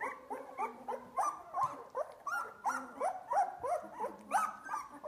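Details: Two-week-old Australian Labradoodle puppies at play, eyes just opening. A steady run of short, rising then falling whiny yelps, about three a second, with soft squeaks between.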